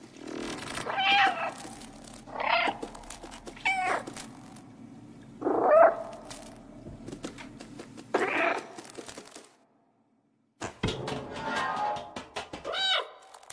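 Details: A house cat meows repeatedly, about six short tonal cries spaced a second or two apart, some rising then falling, with clicks and faint handling noise and a brief silent gap near the end.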